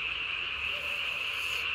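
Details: Japanese tree frog chorus after dark on 3 May 2020, the caller's vocal sac inflated beneath its chin to body size; a steady, high, buzzy trilling tone running throughout at an even level.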